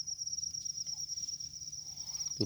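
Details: Rice-field cricket's continuous shrill trill, high and finely pulsed, holding steady for the whole stretch, with soft rustles and a brief thump at the end.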